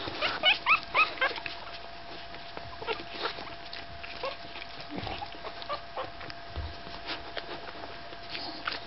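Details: Staffordshire Bull Terrier puppies at five days old, with a cluster of high, thin squeaks and whines near the start, then quieter scattered squeaks and faint rustling indoors.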